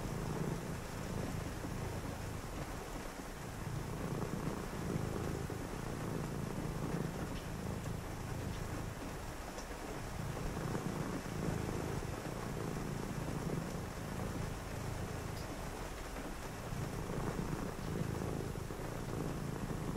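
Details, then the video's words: Domestic cat purring on a rainy night while a person reads: a low, steady rumbling purr that pauses briefly about every three seconds between breaths, over a constant hiss of rain. "a purring cat"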